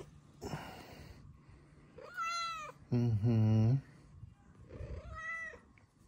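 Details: Two bright, bending meows from Luna Bear, a female Bengal cat with blue eyes, with a loud, low human voice speaking briefly between them in a small room.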